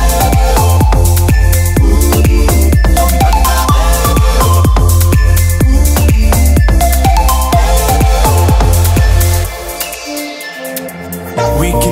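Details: Loud electronic dance music with a pounding bass beat and synth lines; the bass drops out briefly near the end before returning.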